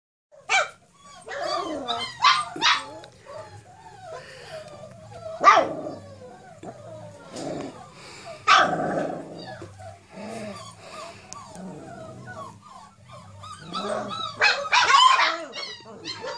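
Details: Four-week-old Cane Corso puppies on their first time outside: scattered high yelps, squeaky whines and short barks from several pups, irregular and overlapping, with quieter gaps between bursts.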